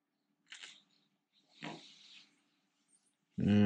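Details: Siberian Husky reluctant to go for a walk at dawn, wanting to sleep more: two short breathy, noisy grunts a second apart, then a sudden loud, low, harmonic groan cut off at the end.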